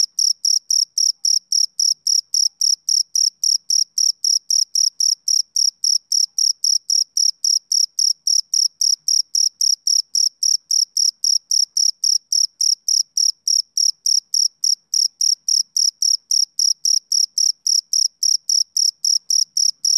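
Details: A male cricket chirps steadily, giving high, pure pulses about three or four times a second, made by rubbing its front wings together.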